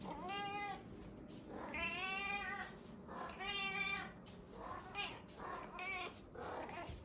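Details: Female domestic cat meowing at mealtime indoors, a run of drawn-out, rising-and-falling meows repeated about every second, some long and wavering, others short, with a faint steady hiss behind.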